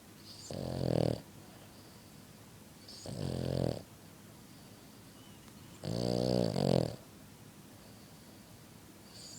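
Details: Pet French Bulldog asleep indoors, snoring extremely loud: three harsh, rasping snores arrive roughly every three seconds, each a low rumbling buzz with gritty upper tones, separated by quiet breaths.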